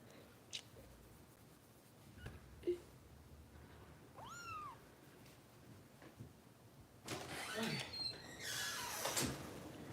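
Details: Kitten Harper being bottle-fed at a Los Angeles foster home run by Kitten Rescue volunteers gives one clear, high arching meow midway, followed by a burst of rustling, hissing handling noise.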